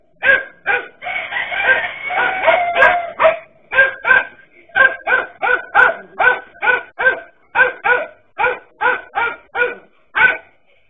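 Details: Dachshund dogs confronting a king cobra bark almost nonstop, an overlapping jumble at first, then a steady rapid train of sharp barks roughly three per second.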